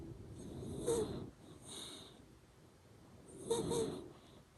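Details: Nasal snoring from Ranmaru, a sleeping Shiba Inu: three distinct wheezy breaths with a piping whistle over a low rasp, separated by quieter pauses, making the "pū pū" sound.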